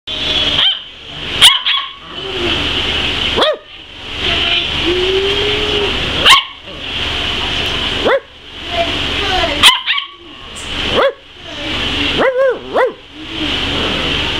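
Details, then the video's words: Tri-colored border collie "talking": a series of short yips and whiny, pitch-bending vocal sounds separated by brief pauses, with a steady high background hiss throughout. "Tri-Colored Talking Border Collie"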